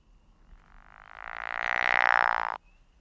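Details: A pickerel frog, heard in the Mont Saint-Hilaire Biosphere Region during the frog breeding season, gives a rough, snoring croak like a frog with a stomach ache. It swells in volume for about two seconds, then stops abruptly.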